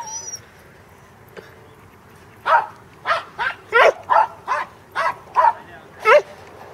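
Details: Corgi on its second herding attempt with sheep at a farm in Arlington, 27 March 2011; after a quiet start, about nine sharp barks ring out irregularly over four seconds.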